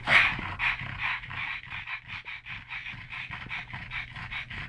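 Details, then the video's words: Pug panting while wrestling with its brother, two rescued pugs from the SPCA in Malta; fast, even breathy pants repeating about three or four times a second, a sharper noise at the start. "PUG Wrestling"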